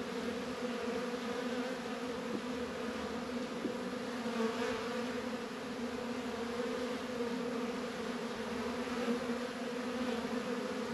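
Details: Honey bees working at a warre and langstroth beehive in an apiary in northern Kentucky on a 72-degree February day; a steady, dense hum of many bees with bands near 250 and 500, unbroken throughout.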